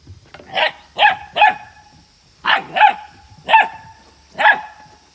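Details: Ibizan Hound (Podenco Ibicenco) puppies at a kennel, playing with water: seven sharp barks, two close together near the start, then a pair, then two spaced single barks, with a steady faint high whine in the background.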